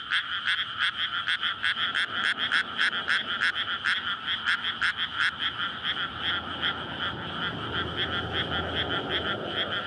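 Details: Frog chorus at night in May from a rice paddy flooded before planting, surrounded by housing, recorded on a SONY PCM-D100; frogs calling in courtship to breed. Dense rapid croaks, several per second, overlapping voices, faint road rumble below.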